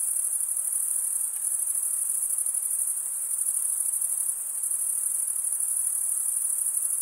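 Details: Crickets chirping at night in a summer forest: a steady, shrill, very high trill from many insects, unbroken and faintly pulsing, with no other sounds.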